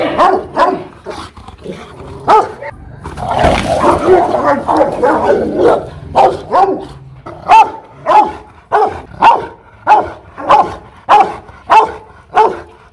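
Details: Aggressive Rottweiler, Loki Gervi, at a kennel in Hoang Mai, Hanoi, Vietnam, barking loudly and repeatedly, about a bark every half second, with a rougher, denser burst of snarling noise around the third and fourth seconds.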